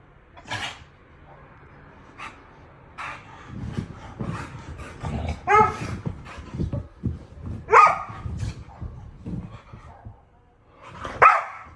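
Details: Dog giving scattered sharp barks at irregular intervals, some with a yelping high edge. Low, rough, rumbling growl-like sounds fill the middle stretch, and there are quiet pauses between outbursts.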